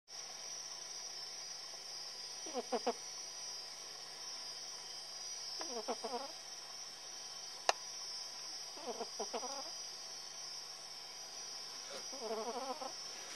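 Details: Tillè, a female cat, snoring while asleep: four buzzy, harmonic rasps with a slight wavering pitch, one about every three seconds, over a steady high background hum.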